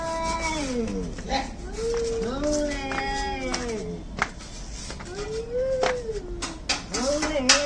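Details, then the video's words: Cats squaring off in a fight, giving lower wavering yowls that rise and sag, broken by clicks and knocks, with a fainter second voice joining in. "CAT FIGHT ANGRY CATS - Making weird noise"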